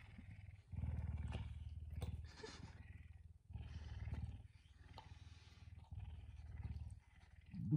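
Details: Pet puma at home in the morning, rousing its owner at dawn. It gives repeated bursts of deep pulsed rumbling, each a second or two long with short pauses between, and a faint household sound at the end.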